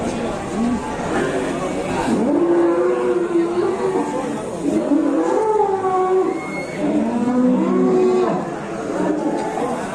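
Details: During the unloading of cattle, including a huge cow said to have legs like an elephant, drawn-out moos bend up and down in pitch, with human speech and engine noise behind.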